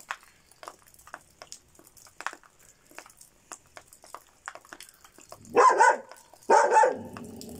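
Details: Šarplaninac shepherd dog barking twice, two loud, harsh, broadband barks about a second apart near the end, after several seconds of faint scattered clicks and taps indoors.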